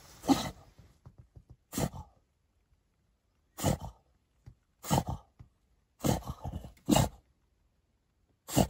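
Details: An outraged French Bulldog lets out short harsh growl bursts at irregular intervals of about one to two seconds, separated by silence, indoors.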